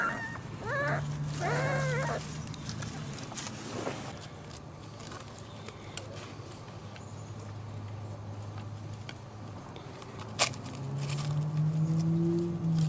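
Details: Six-week-old dachshund puppies give a quick run of high, arched whimpering yelps with rising and falling tones in the first four seconds. Only faint clicks follow over a steady low hum.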